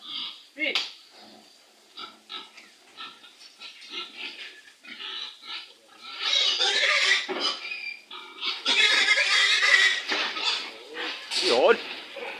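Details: Loading of eighteen pigs, a stubborn sow among them, with men talking throughout; after scattered short grunts, long shrill screaming squeals build in two loud stretches, followed by a final sharp cry.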